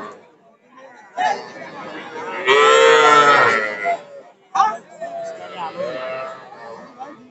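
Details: Small bull and heifer calves traded at a Narail cattle market, 18 May 2024: a loud, tonal moo of about a second rises over market chatter, with men's voices bargaining before and after.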